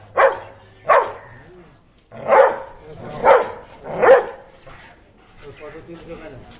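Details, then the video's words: Aggressive Dalmatians barking: five loud, harsh barks come in a quick irregular series over about four seconds, then fade into quieter growly sounds. "Very aggressive Dalmatians dog"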